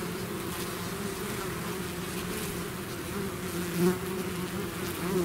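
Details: Continuous hum from a bee swarm outside its hive, with one nearby bee buzzing louder for a moment near four seconds over the steady drone.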